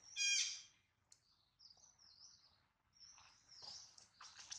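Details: Baby monkey Adler, held by a small monkey, cries because he misses his mother and is hungry: a loud, shrill, harmonic squeal at the start, then thin high whines trailing off over a few seconds.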